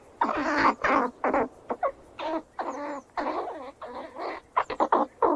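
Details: Squirrels squeal while running around, giving drawn-out, wavering, slightly nasal squeals in separate bursts of under a second, with a few quick clipped notes near the end.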